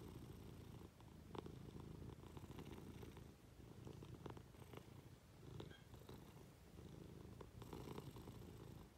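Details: Low rhythmic purring from a Munchkin cat being affectionate with its owner in bed, broken by short pauses, with faint rustles and a few light clicks.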